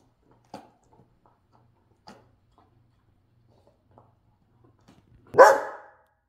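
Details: Pet dog indoors on a quiet night, staying still through several soft taps and clicks, then giving one loud, harsh, broad bark near the end.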